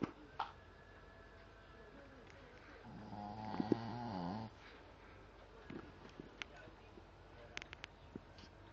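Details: A dog snoring indoors: one drawn-out, rough, low snore with stacked harmonic bands, lasting about a second and a half mid-clip, surrounded by scattered faint clicks and rustles in a quiet room.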